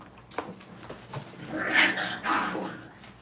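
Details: Crate-training Brittany puppies at a training kennel: two drawn-out, whining cries follow each other closely, the first longer and louder, preceded by a few soft clicks and knocks.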